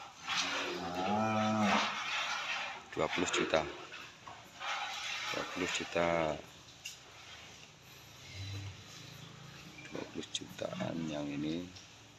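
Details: Cattle kept for qurban sacrifice at a cattle barn in Prambanan, Klaten, lowing in several drawn-out, harmonic moos that rise and fall, with people talking between calls.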